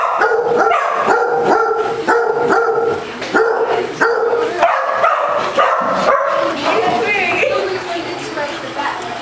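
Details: A Basset Hound plays at a Las Vegas, Nevada dog day care, chasing a ball and getting the zoomies; steady, evenly spaced deep barks, about two per second, then trailing into rougher yelps and background voices.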